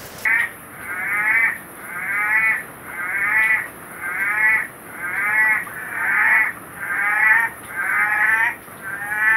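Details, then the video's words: Litoria chloris, the orange-eyed tree frog, on a rowdy night of calling: long wavering moaning notes about one second apart, a steady chorus of repeated calls swelling and fading, with a high insect-like hum in the background. "Orange-eyed tree frog, Litoria chloris"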